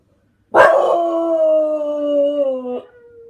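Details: English Bulldog howling along with dogs playing on a screen: one sustained, steady, tonal howl lasting about two seconds, sliding slightly lower and ending in a softer trailing note.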